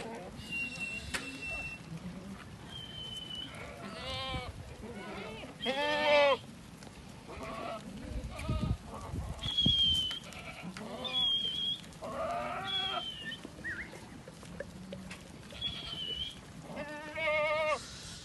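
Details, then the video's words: Ardi goats bleating in a herd: several loud, wavering, harmonic-rich bleats come one after another every few seconds, with short high chirps from birds and low background murmur between them. "ماعز عارضي"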